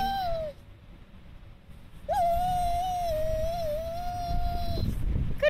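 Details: Clancy, a Keeshond dog, whining and whimpering on cue as a trick indoors: a short tonal whimper, a pause, then a long steady high whine lasting nearly three seconds with slight wavering pitch.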